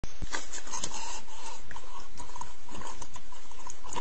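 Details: A big wild boar, heard up close, gives deep, rough grunts and snorts in quick, uneven bursts.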